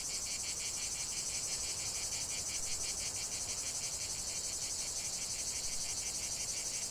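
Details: Cicadas singing together in a loud, even, shrill drone, rapidly throbbing at a regular beat with no pauses.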